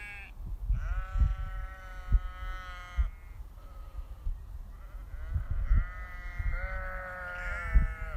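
Sheep bleating in long, wavering, nasal calls, with soft thumps and rustling beneath.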